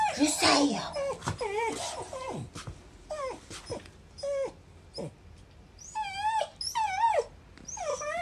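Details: Kuri, a Shiba Inu, making pained whines after following Choko and getting a cat punch: repeated high, looping whimpers that rise and dip, about a dozen in eight seconds, with a woman speaking softly at the start.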